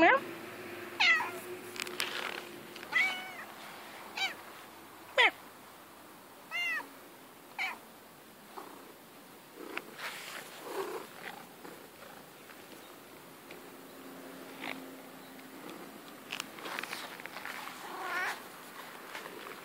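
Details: Female pet cat playing in grass makes a run of short chirping meows and mews, mixed with human talking, rustling and handling noises, calls irregular at roughly one per second.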